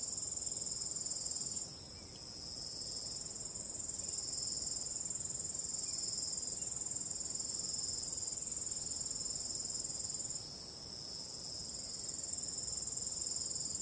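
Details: Starry night crickets with a calm breeze: a bright, continuous high trill made of quick repeated pulses, fading briefly near two seconds and again around ten seconds before returning at full strength.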